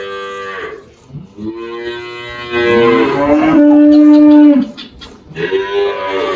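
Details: Aged Girolando cow Malhada, a Brazilian farm animal in Anápolis, Goiás, lows repeatedly: a short call, then a long, steady, deep moo lasting over two seconds, and another rising moo at the end.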